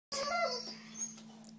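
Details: Doberman puppy giving one brief, high whining yelp with a clear tonal ring that fades within half a second, followed by a low steady hum in a small indoor room.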